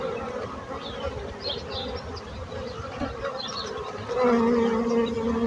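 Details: Buzzing bees give a low continuous drone that grows louder and steadier near the end, while small birds chirp faintly above.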